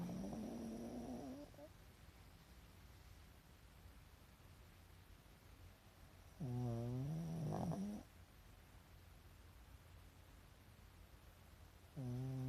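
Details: Pet Pekingese asleep with the whites of its eyes showing, snoring: low droning harmonic snores with a slightly rising pitch, about one and a half seconds each, roughly every five to six seconds, quiet room between breaths.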